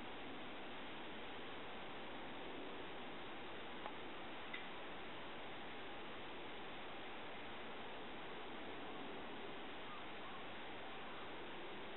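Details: Steady, even hiss of broadband noise fills the whole stretch with only a couple of tiny ticks, and no animal sounds.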